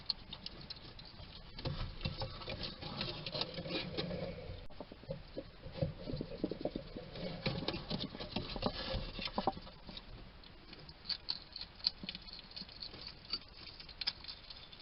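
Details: Wild hedgehog at a garden feeding station in Somerset, UK, chatting to itself while eating: dense, steady soft clicking and smacking chewing noises, with louder bursts of crackly ticks and a few sharper snaps.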